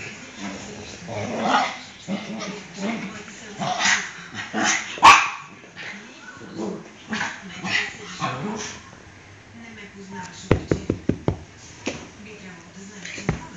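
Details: Maxi the dog, freshly bathed, mixes yelps and a sharp bark around the middle with steady human chatter; a quick run of clicking taps comes near the end.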